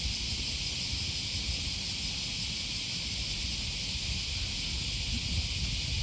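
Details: Cicadas calling on an early August morning, 2020, beside the Okawa River near Sakuranomiya Park in Osaka, Japan: a constant high-pitched sizzling drone, level and unchanging, with faint low traffic-like rumble underneath.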